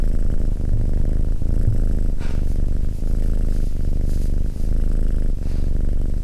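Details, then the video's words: Close, loud cat purr: a dense low buzz with regular short breaks where inhale and exhale alternate, nothing else audible. "Cat Purring"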